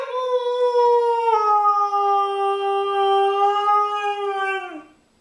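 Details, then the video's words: Pet dog indoors howling as if saying "I want my Mommy", one sustained tonal wail of about five seconds, slightly falling in pitch, sliding down at the close and stopping abruptly. "says "I want my Mommy!""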